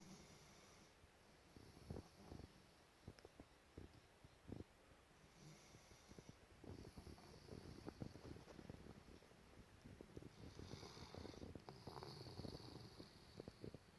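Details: A golden retriever lying very comfortably snores softly, with low rumbling breaths and short snorts.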